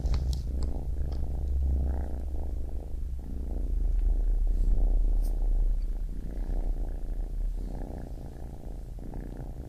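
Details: Purring baby kitten, a low vibrating rumble that rises and falls gently in loudness, with faint clicks and brushing sounds over the top.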